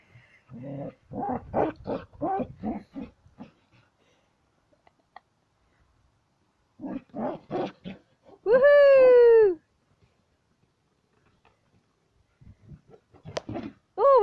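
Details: During ball play, Sam, a Border Collie, puffs out quick bursts of panting grunts, then lets out a long, strong, slightly falling whine near the middle, and another whine starting at the very end after a quiet pause.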